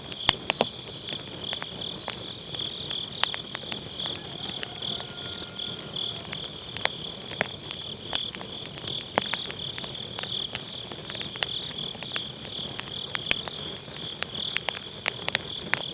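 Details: Autumn-night grass insects keep up a continuous high-pitched, finely pulsed chirring, with frequent snapping crackles of a wood campfire in a round fire pit scattered across it; Sennheiser MKE600 microphone, low cut on.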